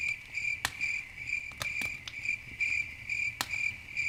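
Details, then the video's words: Night crickets by a campfire keep up high, rhythmic buzzy chirps while loud snapping crackles of burning wood punctuate the clip several times. "Campfire At Night Ambience, Crickets, Nature Sounds"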